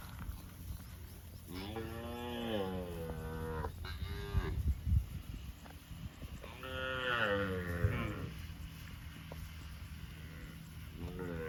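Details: Field-roaming cows mooing repeatedly: two long harmonic moos arching up and down, each followed by shorter calls, with a few knocking sounds and low background rumble.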